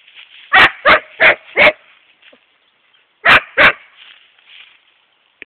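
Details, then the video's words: Facing a hedgehog, the young male Siberian Husky Epos, aged 7.5 months, lets out four quick yapping barks, falls silent, then adds two more. "Epos and hedgehog"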